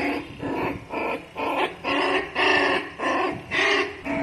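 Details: Female Labrador Retriever puppy growing up without its mother: rough, harsh growling bursts repeated about twice a second in a steady pulsing rhythm, each burst noisy with a low buzzing edge.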